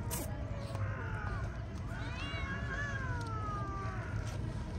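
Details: Feral street cat meowing during a day of feeding on cooked chicken and play; a few thin, wavering harmonic mews stretch out in the middle, set against low constant background rumble and nearby Turkish speech.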